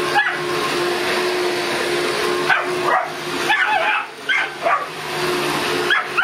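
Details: Boston Terrier at a vacuum cleaner lets out scattered yappy barks, clustered in a quick run of several toward the end, while the vacuum roars steadily underneath.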